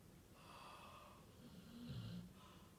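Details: Labrador Retriever snoring very loudly: a breathy, hissing inhale early on, then a deeper, rattling snore with a low rumbling vibration near the end, over a quiet background.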